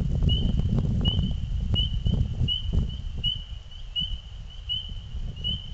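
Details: Springtime frogs heard singing at dusk, just before night: thin, high piping notes at a steady pace, around eight peeps in six seconds, with a strong low-frequency rumble underneath that eases toward the end.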